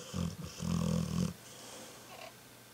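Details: Pet dog snoring while asleep indoors behind a person working, recorded 20 November 2012; one low, rumbling snore lasting about a second, stuttering at the start, followed by quiet breathing.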